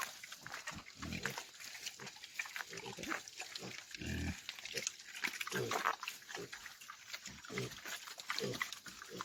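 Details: Pigs on a rural farm (roça) give a run of short, harsh, noisy grunts with a deeper burst near the middle. People talk in the background.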